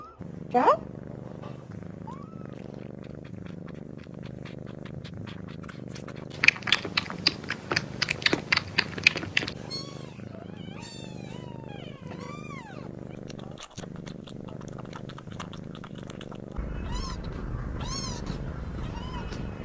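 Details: Softer kitten meows and chirrups, short and bending in pitch, scattered through a stretch of clicking and tapping noises, ending with a few clearer meows over a steady hum.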